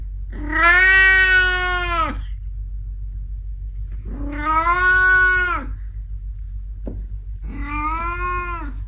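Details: House cat after time in the garden gives three long, drawn-out meows about three seconds apart, each bending up then sliding down, with a steady low background hum and one brief click.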